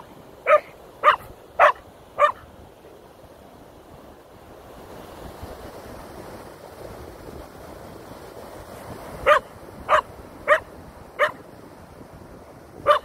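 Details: Koda the Keeshond, who has a fear of feathers, gives four quick sharp barks. A long break with a low hiss follows, then a second burst of five barks.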